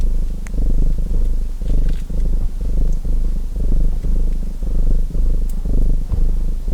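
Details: A domestic cat purrs steadily beside a crackling fireplace, a low rumbling vibration swelling and easing about once a second.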